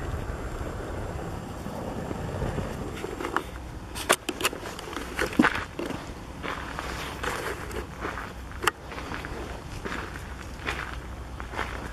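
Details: Outdoor rustling, footsteps and sharp crackling knocks over low background rumble, with no clear calls.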